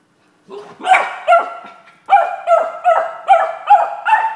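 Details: A Beagle barks at a bottle stuck under a couch while trying to get it out, giving a quick run of bright, tonal barks, each a short yelp with a slight bay to it.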